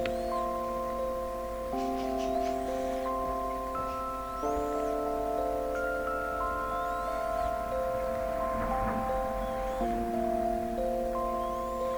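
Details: Gentle mallet-percussion background music with chime-like held notes plays throughout, and no snoring or other animal sound stands out.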